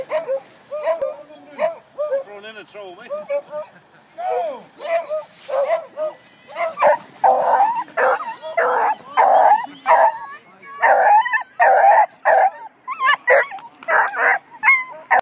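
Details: Beagles racing at the Scottish Pedigree Whippet Racing Club in 2013, during a Grand National race where new beagles run up the track. The dogs give excited, repeated yelps and wavering bays, mixed throughout with people talking.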